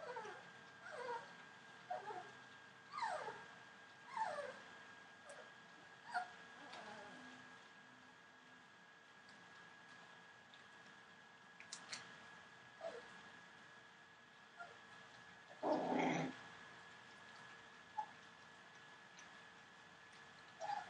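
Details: Entlebucher Mountain Dog puppies, 24 days old, from a litter born 28 December 2013, giving soft, quiet whines that slide downward, scattered irregularly over twenty seconds, with one louder rough burst near the end and a steady faint background hum.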